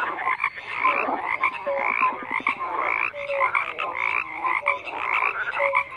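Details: Many frogs croaking simultaneously, producing overlapping rattling pulses and brief tonal croaks, a steady high trilling layer running underneath throughout the whole stretch.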